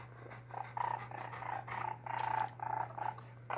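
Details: Koopur, a pet baby raccoon kept in a house, recorded 5/19/2020, giving soft churring coos and purrs in short bursts of several pulses each, with brief gaps between them and a steady low electrical hum underneath.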